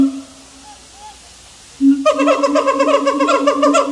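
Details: Siamang: faint hoots over quiet background, then suddenly a loud, rapid, continuous run of rich harmonic barking calls packed several per second.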